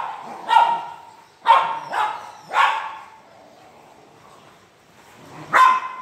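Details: Barking French Mastiff in India: three quick, deep barks about half a second apart, a fourth shortly after, then a pause before one last bark.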